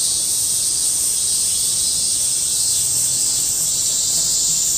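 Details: A large chorus of cicadas recorded in August 2008. The sound is a steady, piercing high buzz that fills the whole stretch without pause or change in loudness, and no other clear sounds stand out.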